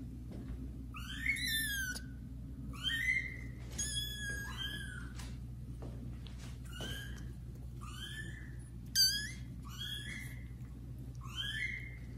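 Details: Young domestic kittens meowing loudly indoors while meeting adult cats for the first time; about eight high, downward-bending meows, spaced roughly every one to one and a half seconds, over a steady low household hum.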